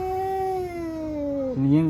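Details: Street cat giving a long tonal yowl that slowly falls in pitch, ending in a sudden rough, louder growl, amid cats said to be fighting.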